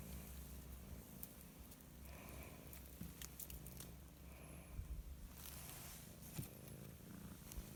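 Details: Purring cat enjoying the sun, a low rhythmic rumble throughout, steady and close, with scattered soft rustles and small clicks over the top.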